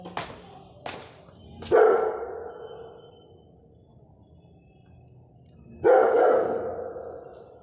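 Two heavy, booming barks from a Rottweiler stand out, each ringing briefly before fading. A couple of softer clicks or knocks come just before the first bark, with quiet background in between.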